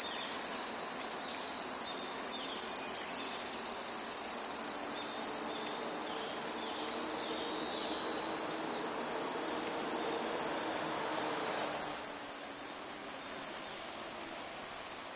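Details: Kaempfer cicada on a cherry tree singing a long high drone that drops lower in pitch and softens around six seconds, holds there, then jumps back up to a louder shrill buzz near eleven seconds.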